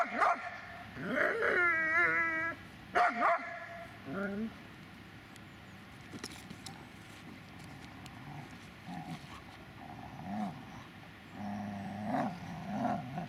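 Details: Dobermann named Magmar Von Der Burgstätte giving a few short, harmonic whining yelps and barks in the first four seconds, then a long quiet stretch with faint low murmurs and a couple of soft whines near the end.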